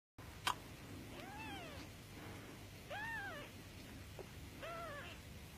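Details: A one-week-old Norwegian Forest Cat kitten, born very tiny, gives three thin, arching mews, each rising then falling, spaced about two seconds apart over a soft background hum.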